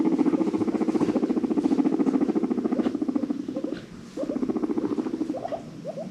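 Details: Domestic guinea pig in a herd of five rescued in Los Angeles: a loud, rapid, buzzing purr of low pulses, pausing briefly around the fourth second, with a few short rising squeaks near the end.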